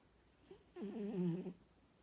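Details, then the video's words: A sleeping female Norwegian Forest Cat gives a single low, rattling snore lasting under a second. "Snoring Norwegian Forest Cat"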